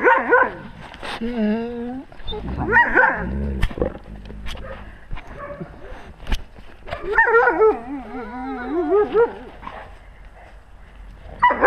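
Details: Wolves in a pack, caught by a GoPro held at wolf height; short bursts of quavering whines and yips break off into pauses, then return as a long warbling group of cries.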